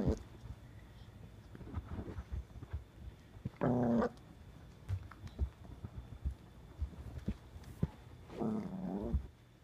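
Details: A 15–16-week-old Boston Terrier puppy lets out two brief, tonal growls a few seconds apart while being baited with a blanket during impulse-control training. Low rumbling and handling noises fill the gaps.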